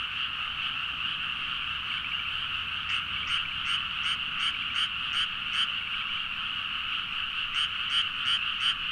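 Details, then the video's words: Frogs calling at midnight in rice paddies in Nagaoka, Niigata, Japan, recorded on a Zoom H4n: a dense, steady chorus hums throughout, and from about the third second one nearer frog adds loud, evenly spaced croaks roughly three per second. "The frog sound at mid night (環境,自然音 -深夜のカエル大合唱-)"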